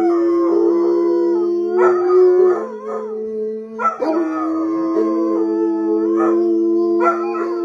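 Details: Bloodhounds howl together in long, steady, mournful tones with overlapping pitches; they mostly howl when excited, as a way of communicating.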